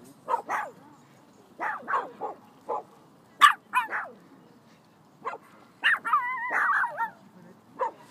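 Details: Little female Phalène dashing among big dogs and barking at them to stand her ground; a series of sharp yaps at uneven intervals, ending in a wavering, whiny bark-howl near the close.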